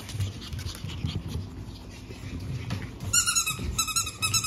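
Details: Lively pug puppy siblings born April 17, five in the litter, three males and two females, soon leaving for new homes; low snuffling and snorting for three seconds, then a burst of high, clear, squeaky whines repeated several times.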